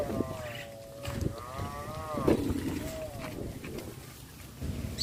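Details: Cow wandering around a village residential area during rice planting season, giving a long wavering moo that rises and falls over about two seconds, amid speech, clatter and rustling noise.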